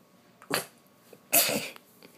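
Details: A pet puppy sneezes when petting stops: two sharp, explosive sneezes about a second apart, each a hissing burst of breath, with faint snuffles between them in a quiet room.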